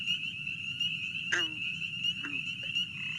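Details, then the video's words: Chorus of spring peepers in Kentucky, a loud call said to carry about a mile on still nights: a dense, continuous high piping band, broken by a green frog's twangy low call twice in the background. "this is kind of the chorus of spring peepers here"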